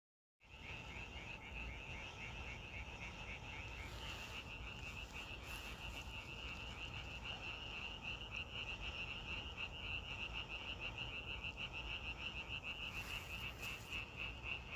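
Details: Frogs croaking together outdoors in a natural setting, a dense chorus of rapid, high pulsed notes running without a break at about three per second over a steady low rumble, starting after a brief silence.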